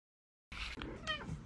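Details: Domestic cat meowing, a short tonal meow with a clear harmonic stack that bends upward and then falls, followed by a softer trailing note, set against a low background murmur.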